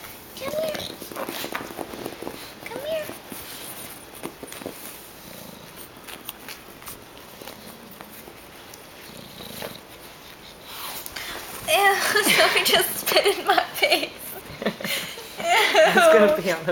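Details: A litter of four pug puppies, four weeks old, squeak briefly early on, then burst into louder strings of high, wavering squeals and whines near the end, with a person's voice in the background.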